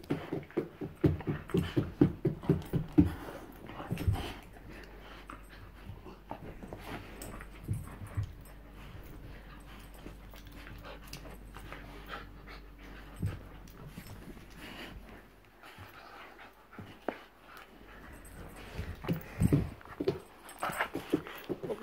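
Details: Two bull terriers at home: a run of quick, breathy, panting pulses for the first few seconds, roughly two per second, then quieter scattered snuffles and low grunts with a steady low hum underneath.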